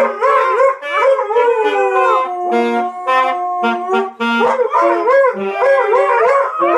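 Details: Several Siberian Huskies howl in unison, overlapping drawn-out yodelling notes bending up and down, with a few short yips breaking through the continuous chorus.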